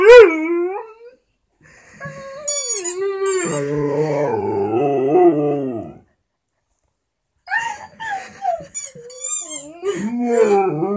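A Vizsla howls in long, wavering, sliding tones, broken by short whimpering yelps and a high squeaky toy.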